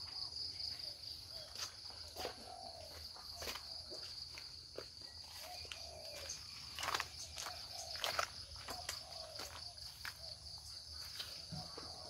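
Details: Cricket in a natural, home-style outdoor setting giving an unbroken piercing high trill, steady from start to end, while footsteps and sharp clicks come and go irregularly over it.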